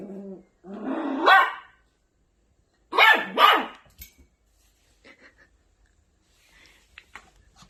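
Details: Angry Maltipoo puppy gives a rising growl-bark, then two quick sharp yaps, followed by near silence with faint clicks.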